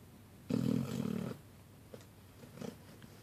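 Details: Little puppy asleep and snoring while napping with a kitty, one loud coarse rumbling snore lasting under a second, followed by faint soft breaths and small clicks.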